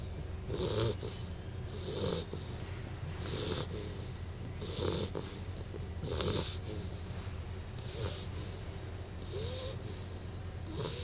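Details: On her first night home, Bettie the dog snores softly: breathy snorts recur about every one and a half seconds, each a low rasp with a hissing top, faint against steady room hum.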